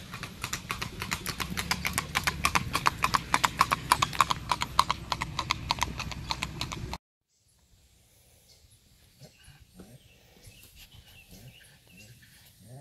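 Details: Hoofbeats of a five-year-old, 16-hand bay and white spotted Tennessee Walking Horse gelding, a trail pleasure horse with a smooth natural saddle gait: rapid, fairly regular clip-clop steps for about seven seconds, then near silence with faint rustles.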